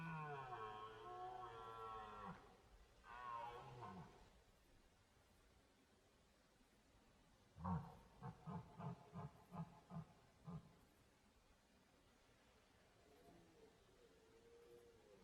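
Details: A red deer stag in a forest during the autumn rut (September to December) gives long, deep, harmonic roars, then a run of short, rapid grunting belches, calling to find a mate.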